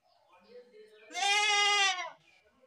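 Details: Young goat's single long bleat, strained and quavering, lasting nearly a second, preceded by a quieter nasal murmur.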